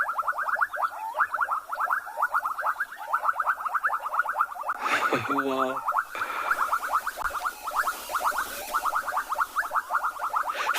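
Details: Frog chorus at a small body of water in Tswalu Kalahari Game Reserve, South Africa, at sunset in late November, growing louder; dense rapid pulsed trills repeating continuously, with a brief interruption of other clicking noise midway and a man's voice.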